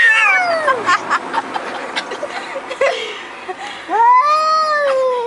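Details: A house cat gives a falling meow, followed by a stretch of clattering, knocking noises. The clip closes with a loud, sustained meow that arches up in pitch and slowly descends.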